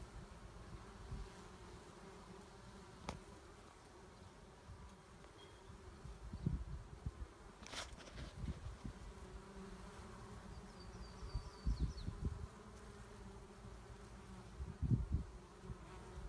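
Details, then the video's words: Honey bees humming at their hive, the one colony left of four after winter, a defensive hive in 2017; a steady low drone with brief louder buzzing swells near six, twelve and fifteen seconds and a faint high chirp. "2017 Bees"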